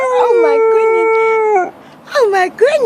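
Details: Pet dog howling indoors: a long steady mid-pitched howl held about a second and a half, rich in overtones, then two shorter wavering yowls that rise and fall, with a woman talking softly to the dog nearby.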